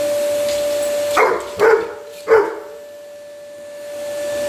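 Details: A 110-pound black Labrador named Samur objects to a vacuum cleaner with three loud, rough barks in quick succession, the motor's constant tone droning underneath.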